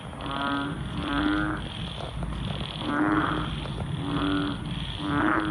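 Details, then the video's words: Frogs croaking together at night after a heavy downpour, repeated pulsed croaks about once a second, each a rapid rattle of clicks over a low steady tone, with a continuous high insect-like hum behind. "Frogs croak after rains. Listen to their sound."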